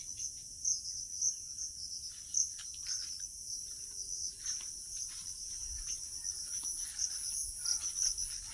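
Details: Crickets calling nearby on an evening walk in rural Bengal under cloud and sun; a continuous high shrill trill with brief pulsing accents, joined by a second higher band, with faint rustling and light background noise.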